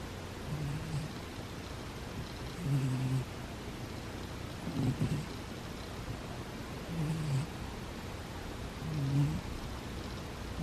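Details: Sleeping cat giving soft, low, throaty snores, five breaths at intervals of about two seconds, each a short rasping buzz, with faint room hiss in the background.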